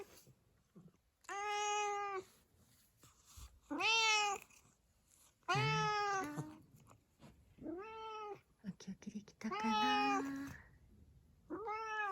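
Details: Tuxedo cat named Zakio, a black-and-white house cat indoors, answering its owner with a string of clear harmonic meows, about six calls spaced one to two seconds apart, some rising then falling, with a woman's soft speech in between.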